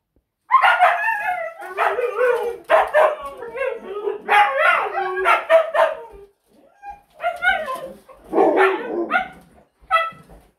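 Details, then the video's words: Siberian Husky, a pet dog, vocalising loudly: long bursts of wavering, whining howl-like 'talking' with rising and falling pitch, several phrases over ten seconds separated by short pauses. "WARNING: You need ear protection when dealing with Huskies!"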